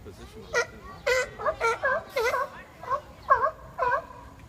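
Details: Brief exchange between arguing seals, with roughly eight short, quavering, moaning cries in quick succession, each rich in harmonics.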